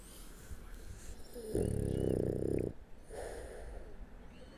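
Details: Sleeping on its back, the French Bulldog Shturm lets out one long, throaty snore lasting just over a second, a deep buzzing rattle in a quiet room, followed by soft exhaling.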